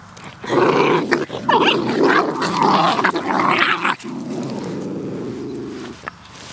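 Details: Puppies outdoors in play fighting, giving a sustained low rumbling growl mixed with higher yaps and snarls for about four seconds, then a quieter steady growl trailing on.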